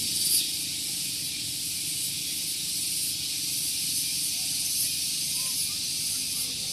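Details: Morning cicada chorus at Gunung Geulis, Bogor, West Java, recorded near a car park: an unbroken, piercing high buzz holding steady, with faint low background rumble beneath.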